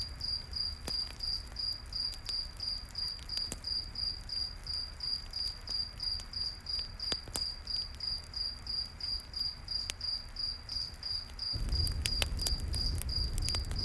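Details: Crickets chirping at night near a campfire in the forest, a bright pulsed trill about three notes a second, with fire crackles throughout and a louder low rumble joining near the end.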